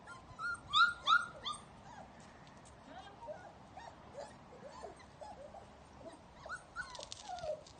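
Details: Young puppies of a kennel litter out of doors for their first time, giving a quick run of loud, high yelping whimpers early on, then softer squeaky whines scattered through, with a short rustling burst near the end.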